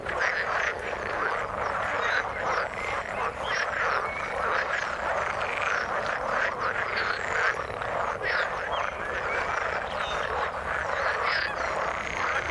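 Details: Frogs in the water call continuously, producing a thick churning chorus of overlapping rattling croaks and clicky pulses, steady in loudness across the whole stretch.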